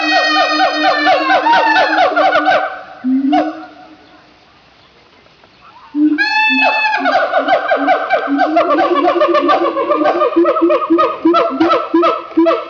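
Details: Captive siamangs at Opole Zoo, Poland, in a loud calling session. A fast cascade of barking hoots fades into a brief lull, then a swelling whoop restarts an even quicker run of ringing notes, several animals overlapping.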